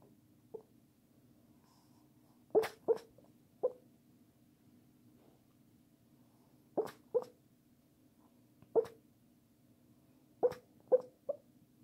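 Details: Pekingese dog talking in its sleep indoors: soft muffled yips and whimpers in short clusters of two or three, separated by quiet pauses of a few seconds, over a faint steady hum.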